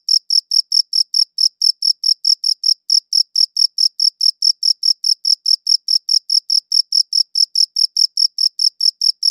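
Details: Steady cricket chirping recorded on a good recorder: quick high pulses in a regular rhythm with a couple of tiny gaps, nothing else audible.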